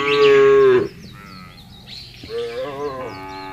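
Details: Cattle herd being driven across a broad grass field: one loud, steady moo lasting under a second, then softer overlapping lowing from other cows, with light bird chirps in the background.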